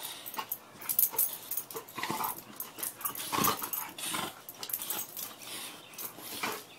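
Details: Two Cane Corso dogs make short, scattered, breathy growls and huffs, uneven rough bursts with a few louder peaks, over an indoor background.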